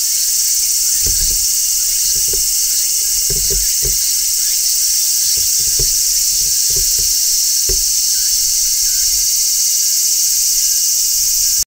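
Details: Large brown cicadas shrilling from a tree in midsummer, recorded on location with no music: a steady, dense, high-pitched buzzing drone that never breaks, with a few soft low thumps underneath.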